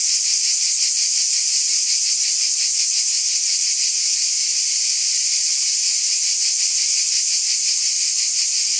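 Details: A steady chorus of cicadas on a summer night: piercing, hiss-like buzzing with a light regular throb, unchanging in strength, and no other creatures or background sounds.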